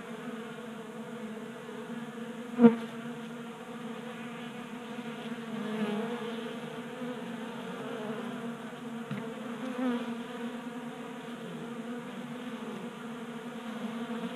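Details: Honey bees feeding at a 3D printed tabletop feeder in a garage in Colorado during a warm January spell; a steady layered buzzing hum of many wings, with a single sharp click near the start.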